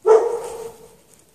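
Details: A single drawn-out bark from a dog chained in the snow at night without shelter, sharp at the start and fading away over about a second.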